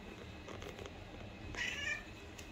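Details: A cat utters one short, high-pitched meow near the end, rising briefly then fading, against a steady hissing background.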